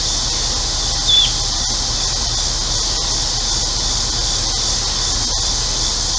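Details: Hot-day cicada chorus in central Illinois: a high, constant buzzing hiss. A single sharp bird chirp comes at about one second, and a neighbor's air conditioner hums low.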